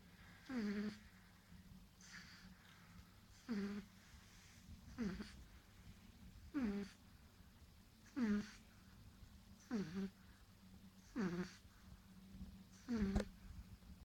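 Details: Nine-week-old baby pug Marley, so tired he can't help snoring, asleep indoors: regular nasal snores about every one and a half seconds, each a rasping inhale sliding down into a short whistled squeak, over a faint low hum.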